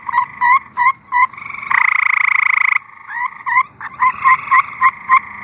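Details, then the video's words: Tree frogs singing in Arkansas. A few quick chirping notes give way to a loud, harsh pulsed trill of about a second, then another rapid string of short chirps over the steady trilling of other frogs. "Singing tree frogs"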